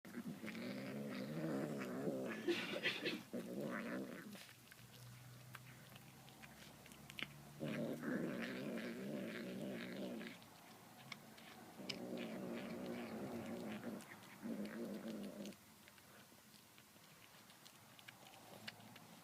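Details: Domestic cat making demonic-sounding noises while eating tuna indoors: long low rough growling bursts of about two to four seconds, broken by short pauses, with faint clicking and chewing sounds between them.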